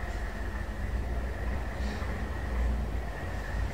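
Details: Continuous low engine-like rumble with a steady mid-pitched hum and no animal calls.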